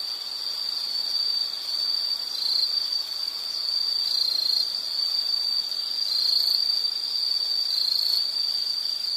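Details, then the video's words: Insect chorus in nature: a sustained piercing high trill, steady throughout with slight swells in loudness, set against faint broadband background hiss. "Nature Sound of nature sounds scenery L · insect"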